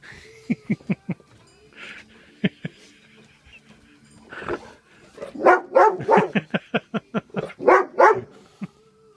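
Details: Golden Retriever barking during play while being offered beer: a few short, sharp yaps, then a rapid run of loud, uneven barks, with a man talking and praising the dog between them.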